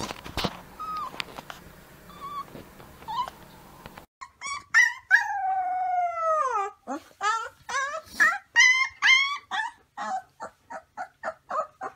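Young wolves give high, wavering howls that slide downward, then break into quick yips and short cries.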